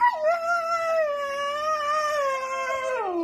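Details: Siberian Husky howl, a sustained rich tone that starts with a quick dip, holds steady for about three seconds with a slight wavering, then drops away.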